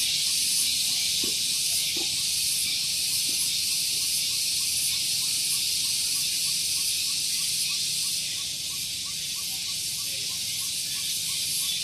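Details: Morning cicadas at Gunung Geulis, Bogor, West Java, recorded near a parking area. There is a continuous piercing high drone with fast, regular pulses, a few soft knocks early on, and a slight dip in loudness after eight seconds.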